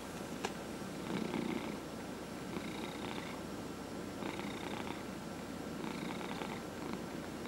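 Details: Purring house cat being massaged indoors; continuous low rumble with brief rhythmic bursts of brighter rasping sound about every one and a half seconds, quiet background hum.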